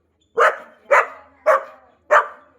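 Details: Four evenly spaced, punchy barks from a Labrador Retriever, about one every half second, each quickly decaying. The household has just gained a new puppy, little brother to Kavi.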